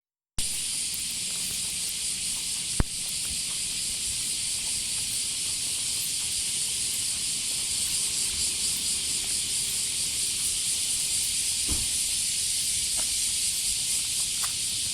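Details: Massed cicada chorus heard on a walk with a female Border Collie. A loud, continuous high hissing buzz fills the whole stretch without pause, with a sharp click near the start and a few faint thuds from footsteps or handling.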